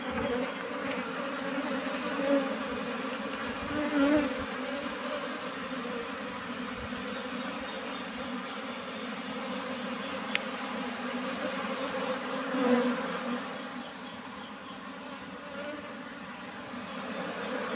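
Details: Wild Asian honey bees being moved into a cultivation hive box: a dense, steady droning hum with a low fundamental and its overtones, swelling slightly around two, four and thirteen seconds, over broadband background noise.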